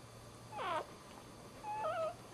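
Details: A newborn male Dachshund puppy, the first of the litter, gives two thin, high-pitched squeals, each wavering and bending in pitch, just after birth.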